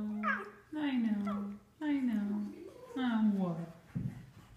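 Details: Sophie, a domesticated Russian fox kept indoors, after drinking cucumber melon water from a glass: four whiny, harmonic calls, each about a second long, sliding downward, then a short lower note. A woman's voice speaks nearby.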